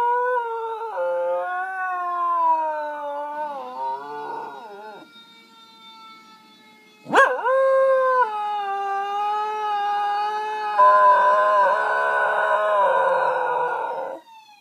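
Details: A corgi channeling his wolf ancestors howls in long, wavering tones in response to sirens.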